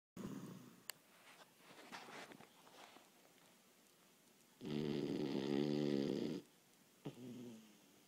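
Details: Boston Terrier dog napping indoors after a long day of playing and running around: a single loud, rasping snore lasting almost two seconds follows quieter, breathy rumbles and a sharp click.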